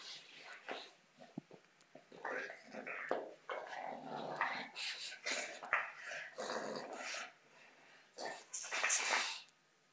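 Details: Female bulldog playing with a soccer ball. Rough, breathy growls and grunting snorts in uneven bursts, growing louder near the end, recorded quietly with a faint background hiss.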